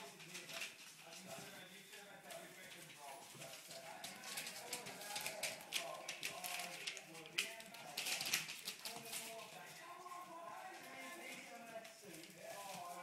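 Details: English Springer Spaniel puppies at 22 days old, play-fighting together inside a small room; a steady jumble of thin, wavering squeaks and little whimpers rises and falls, with scuffling and a human voice in the background.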